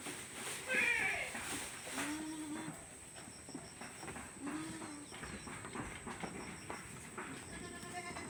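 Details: Goats kept on a farm utter a sharp, high, quavering bleat followed by two lower, shorter bleats a few seconds apart, with a continuous faint hum and light background noise.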